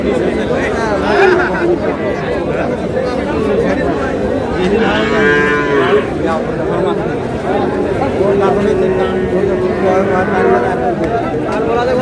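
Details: Young Sahiwal bull calf in Cox's Bazar, 24 February, bought by a local farmer: a short, rising bellow about midway breaks through a dense bed of crowd chatter and haggling voices.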